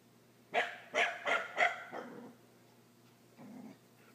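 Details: Scottish terrier Gordon, frightened by a pool toy, lets out a quick run of four or five gruff barks in rapid succession, then falls quiet apart from one faint low sound.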